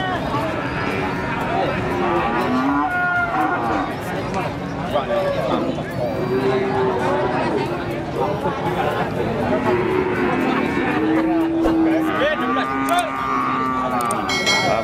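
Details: Limousin cattle at the Pon Jaken cattle market in Pati, a female that has calved once among them; short scattered moos rise out of constant crowd chatter and men's voices over the busy market.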